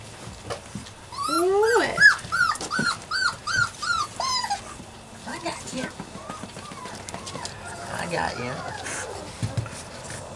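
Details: Puppies Savannah and Jericho at play: a run of high, arched whimpering yelps about every half second, some rising and falling squeals, then softer scattered whines, with a person talking soothingly over them.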